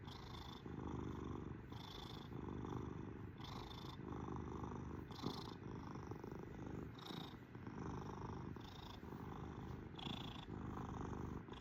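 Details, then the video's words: Domestic kitten purring steadily and close, a low rumbling drone with alternating breath phases, each inhale marked by a faint higher wheezy tone roughly every one to one and a half seconds; quiet indoor setting. "KITTY CAT PURRING MACHINE!"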